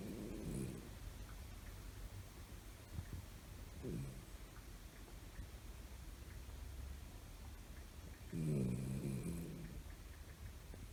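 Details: Toy Poodle lying on a lap, apparently asleep yet with eyes open, giving low, rough snoring breaths in three separate bursts near the start, middle and end, with a quiet indoor hush between them.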